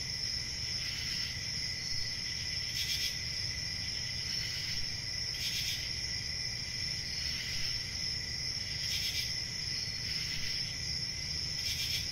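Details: Crickets chirping in a dense, unbroken high-pitched trill with a fainter lower band beneath, punctuated by brief louder shimmering bursts roughly every one to two seconds over a soft low rumble.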